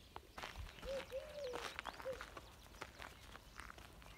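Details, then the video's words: Active black puppy giving short, high, arched whimpers, three in quick succession around the middle, over soft patter and rustling footsteps. "صوت جرو أسود نشيط"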